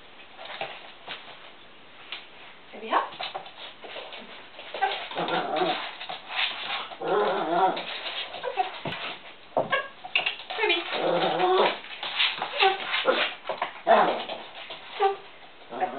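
A Chihuahua whines and yips in high, wavering bursts, with a human voice faintly in the background.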